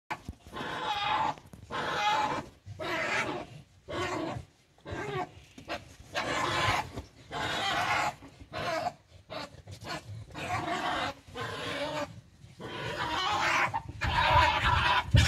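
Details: Two European badgers fight under a ground-level deck, with harsh bursts of growling and screaming broken by brief silences.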